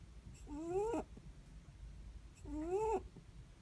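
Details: Netherland Dwarf rabbit asleep, its breath making two long whistling squeaks that climb in pitch and end in a breathy rasp, spaced about two seconds apart against quiet low room noise.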